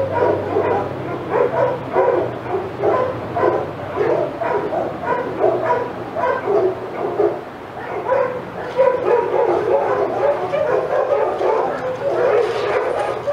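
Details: Several excited senior dogs at Old Friends Senior Dog Sanctuary bark as another dog, Titus, walks past their yard; sharp yapping barks pile up continuously, briefly thinning near the middle before swelling again, with a faint low hum early on.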